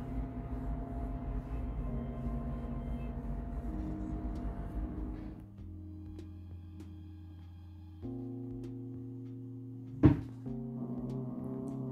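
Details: Plucked guitar and piano music with sustained chords shifting every few seconds, one sharp knock near the end.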